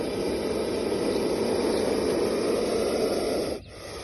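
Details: Indian cobra in hooded position, recorded in India, giving a steady, breathy, rushing hiss that holds evenly for about three and a half seconds before abruptly cutting off into quiet.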